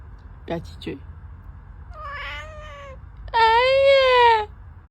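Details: Pet cat indoors calling: short chirps, then a wavering mid-pitched meow, followed by a loud, long, rich harmonic meow that rises then slowly falls, lasting over a second; faint household background.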